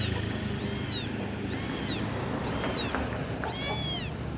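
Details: Kitten calling for its mother, loud; four high, thin meows, each rising then falling, repeated about once a second, over a low background hum.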